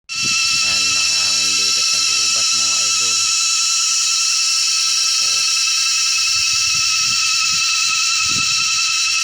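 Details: Cicadas in a forest fill the air with a loud, steady, high-pitched shrill drone amid strong wind, late afternoon around 3:29 as it grows dark; a man briefly speaks nearby.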